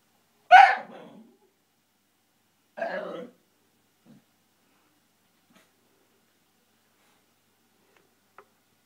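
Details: Koji, a Shiba Inu dog indoors, frustrated that his ball is stuck behind the TV stand, lets out a loud sharp yelp-like cry followed two seconds later by a shorter breathy vocal burst, then near silence.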